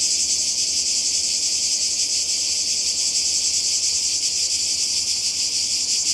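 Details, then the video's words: Cicadas calling in summer by the sea in Croatia: a dense, unbroken high-pitched buzzing chorus, steady in loudness, with a faint pulsing shimmer throughout and no other clear sounds. "Kroatien Zikaden und Meer"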